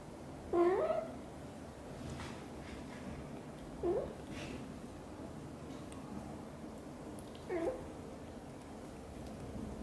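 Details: Xaxa, a blue golden British Shorthair mother cat, talks nonstop while grooming her tiny kitten Piano indoors; three short, bending meows spaced about three seconds apart over a quiet room hum.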